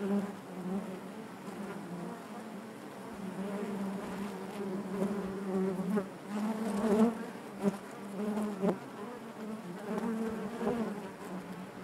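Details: Natural buzzing of honey bees in their hive, an even, sustained low drone with gentle swells and a few louder passing buzzes toward the middle.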